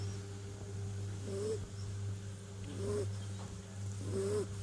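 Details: Snoring from a sleeping kitten: three soft nasal snores, each with a slight rising squeak, roughly every one and a half seconds, over a constant low electrical hum.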